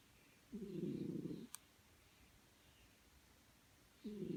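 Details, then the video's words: Sleeping pet cat snoring, with a low buzzing rasp for about one second, a quiet gap of over two seconds, then the next raspy breath beginning. Otherwise a quiet background with one sharp tick. "My snoring cat"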